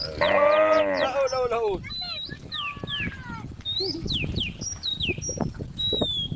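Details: Tame cows on a road calling friends, one harmonic moo in the first second, followed by a falling bleat-like call and frequent high bird whistles over rustling background noise.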